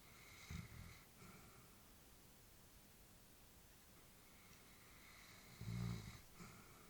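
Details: Elderly female Labrador sleeping inside, two short low snorting snores with a long quiet breathy pause between them in a small quiet room.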